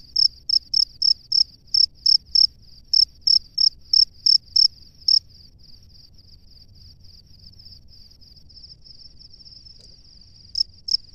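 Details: Male cricket in its nest calling to the female: a fast series of crisp, high chirps for about five seconds, then only a faint continuous high tone, with two chirps resuming near the end.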